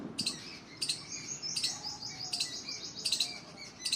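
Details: A squirrel up in trees gives loud, sharp, high-pitched chirps, repeated in short bursts roughly every half to one second.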